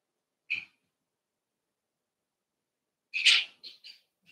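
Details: Cavalier King Charles Spaniel puppies at play inside a home puppy pen. One sharp, high yelp is followed by a silence of over two seconds. A longer, louder squealing yelp comes next, then two quick shorter yips.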